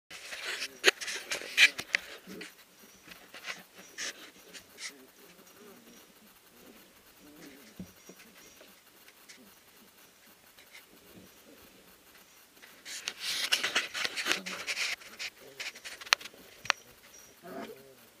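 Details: Three-week-old puppies from Ari and Grace's litter wrestle and play in the whelping house at Endurance Kennels, a sprint mushing kennel; quick panting breaths and scuffling bursts come in two louder spells, with quieter rustling between.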